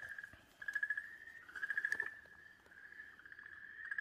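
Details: Okinawa green tree frog seized and being swallowed by a Pryer's keelback snake, 4 March 2023, giving a continuous, wavering scream with rapid pulsed surges about once a second.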